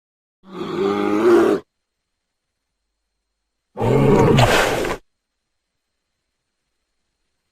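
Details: Bear giving two harsh, throaty roars, each about a second long, several seconds apart, with silence in between.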